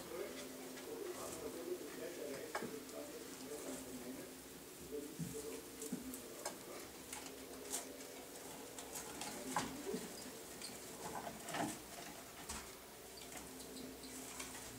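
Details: Pet male degus busy with a hemp mat, giving low, tonal warbling notes in steady runs, mixed with frequent scratching, rustling and clicking from the animals moving about indoors.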